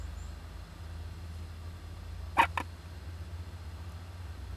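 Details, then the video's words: Japanese giant flying squirrel young inside an owl nest box on 19 July 2010, sneezing: two quick sharp bursts close together, the first louder, against a quiet low background hum. "仔ムササビの鳴き声 ～子供だってくしゃみするんです～"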